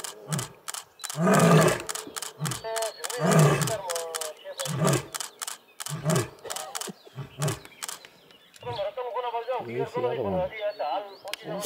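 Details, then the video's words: Sub-adult Asiatic lions in Gir National Park, India, roar to challenge an adult lion, a deep roar breaking into a series of heavy, evenly spaced grunts, heard on a game drive. "Lion roar - Gir national park - 22 Days big cats of India trip"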